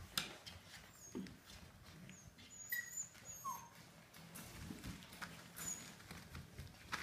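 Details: Samoyeds during a playful rumble indoors; brief thin whines and squeaky rising and falling notes come in scattered bursts over soft thumps and scuffling.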